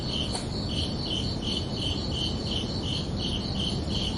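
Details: Crickets under a night sky in summer, bright pulsed chirps repeating evenly about three times a second, one brief sharper click near the start, over low background noise.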